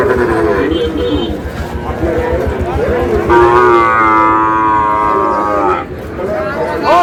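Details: Sahiwal bull calves at a Noakhali cattle market in Bangladesh; a long, level moo rich in stacked harmonics holds for about two seconds, with shorter calls before it, amid people bargaining and background hubbub.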